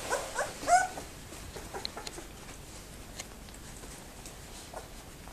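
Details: A two-week-old Labrador Retriever puppy in the whelping box gives a loud, short, high whine that bends upward and drops, followed by softer faint squeaks and rustling.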